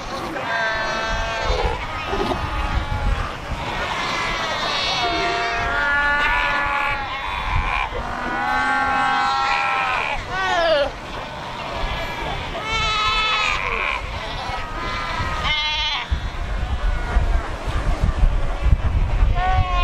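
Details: Cape fur seals at the Cape Cross colony on the Skeleton Coast, where over 100,000 gather on rocks by the ocean: many overlapping harmonic bleating and wavering calls, some rising or falling, with steady surf roar beneath.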